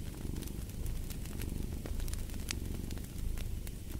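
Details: Short stretch of a cat purring, a dense buzzing rumble pulsing quickly and evenly, overlaid with crisp fireplace crackles.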